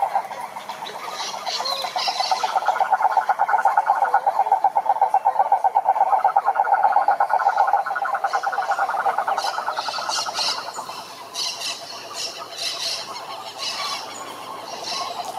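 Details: Cane toads (Rhinella marina) calling at a lake in the Brazilian Atlantic Forest: a loud rapid pulsing trill for about ten seconds that then fades, while higher chirping bursts from other creatures come and go.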